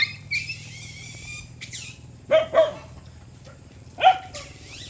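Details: Stray dogs fighting while eating rice near a road on a farm in Cambodia: a high squealing cry at first, then a pair of sharp barks and one more bark a second and a half later, over a low steady engine hum.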